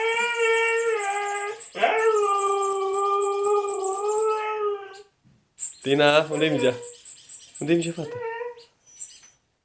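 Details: A Siberian Husky gives long, wavering howls and whines in reaction to a high, repeated squeaking noise.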